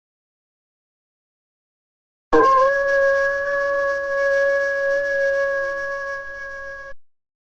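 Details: Silence, then a single steady, flute-like tone that holds for about four and a half seconds before cutting off, with no clear animal voice.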